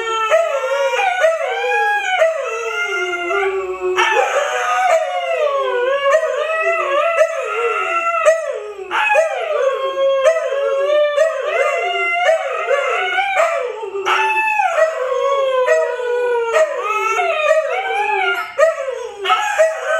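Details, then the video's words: Siberian Huskies Luna, Gizmo, Arya and puppies howling together: several voices in a continuous chorus of wavering, bending howls, each sliding up then down, with harmonic layers and occasional yips throughout twenty seconds. "SIberian Husky Howling"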